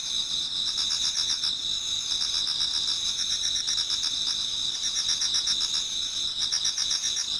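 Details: Autumn insects singing in a Japanese garden as dawn approaches; bright sustained high tones with beaded, quickly repeated trills rising and fading in bursts over a steady ringing drone.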